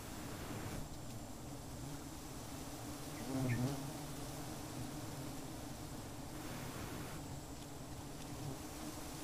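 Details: Giant honey bees (Apis dorsata) at a nest checked for honey, the comb found empty away from acacia trees; a steady low droning hum runs throughout, swelling briefly near the middle, with faint rustling.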